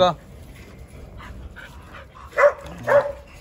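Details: Jindo dogs on a December winter Saturday morning, the day Korea reached the World Cup round of 16; two short, high whining yelps about half a second apart follow quiet stretches, with a person talking nearby.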